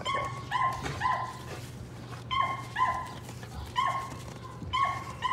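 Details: Patterdale Terrier pups at evening rat work in a puppy pen, among them the young black female Cricket. Sharp, high-pitched yips arrive in clustered bursts of two or three, separated by brief quiet gaps.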